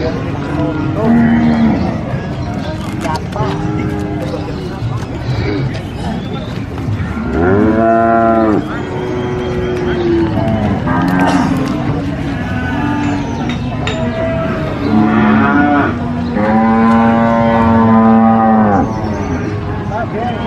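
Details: Several large cattle at an Indonesian market, animals for Qurban sacrifice, mooing repeatedly: long droning moos with rich harmonics, some rising then falling, overlapping one another amid a constant hum of crowd noise and clatter.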